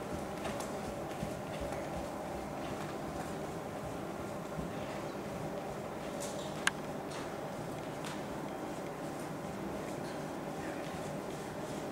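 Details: Steady broadband background noise with faint scattered ticks and a brief sharp click, possibly distant hoofbeats or footsteps, but no clear animal call.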